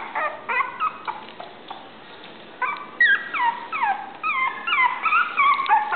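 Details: Male Toy Poodle with a cream coat whining in bursts of thin, falling whimpers. Some notes are sharp yelps and others longer squeaky slides. They come in quick irregular clusters with short quiet gaps between them.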